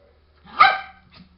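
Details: A small pet dog at the door barking because it wants to come inside: one sharp, loud bark with a rich, harsh tone, then a faint short echo-like yip, over a low steady hum.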